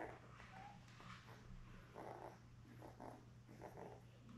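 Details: Newborn Labrador Retriever puppies from Belle's litter of seven, born May 24, 2021, on a live puppy cam on June 4: soft, short grunting and whimpering bursts in quick succession over a steady low electrical hum.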